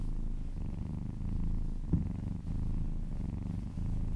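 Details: Domestic cat purring while being massaged indoors: a steady low rumbling purr with pulsing texture, about 47 pulses per minute, with one brief louder bump near the middle and no other clear sounds.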